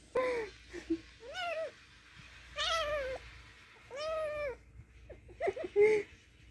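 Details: Angry kitten in a small indoor room meowing again and again: five or six strained, wavering cries about a second apart, some rising then falling, ending in short clipped yowls, with faint room hum.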